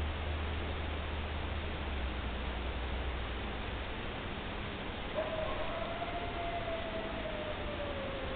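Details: A lone coyote calling in the woods at night: after five seconds of low hum, one sustained tone slides gently downward, with a faint higher echo above it.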